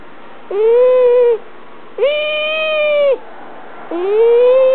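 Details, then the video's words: Female domestic cat whining as she is held, mildly annoyed yet content: three long, steady, strongly harmonic wails, each about a second long with a sharp start and downward droop at the end, in a quiet room. "Cat whinning & making funny sounds"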